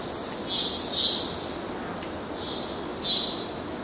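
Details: Cicada calling in Kerala wildlife habitat, a constant high shrill drone with soft hissing bursts swelling twice in pairs, over a steady background hiss.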